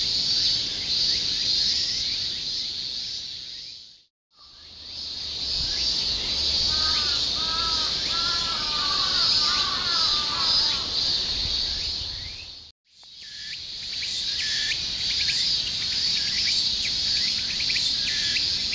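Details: Insects calling in a dense, continuous high-pitched buzzing chorus, interrupted by two brief silent cuts; a bird's repeated short warbling phrases rise and fall in the middle section.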